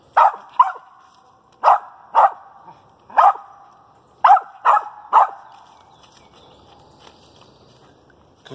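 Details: Pocahontas, a dog, barking treed at a squirrel in a pine thicket; eight loud barks in irregular pairs and triples, roughly one a second, then a quiet stretch with faint background sounds.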